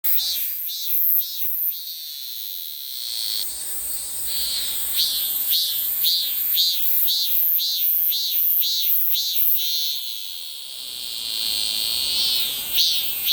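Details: Korean cicada singing the familiar 'maem-maem' pattern: high, buzzing pulses repeated roughly twice per second in steady runs, with a brief shift and pause partway through.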